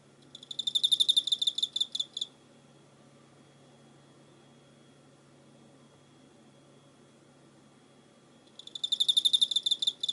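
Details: Cricket on 24 November 2016: two bursts of fast, high pulsed chirps, one at the start and one near the end, divided by roughly six seconds of near silence with a low hum.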